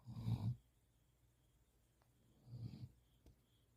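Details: Sleeping Standard Poodle resting its head on someone's arm snores twice, deep throaty rumbles about two seconds apart, each roughly half a second long, with a faint click between them in a quiet room.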